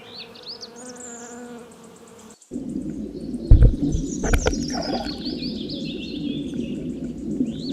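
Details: A bee buzzing, a steady low droning hum with layered overtones for about two seconds, then a short break followed by noisier buzzing and rustling, with faint high chirps in the background.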